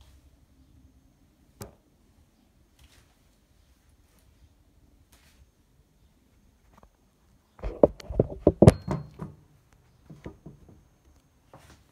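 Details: Quiet indoor room with a sharp knock, then a burst of clattering and tapping, with a few softer thumps afterward.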